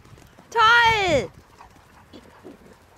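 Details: Dog at a dog boarding kennel in Schleswig-Holstein, Germany, playing chase, one dog acting as the hare for two others: a single loud, high, tonal whine lasting under a second that drops at the end, then faint voices.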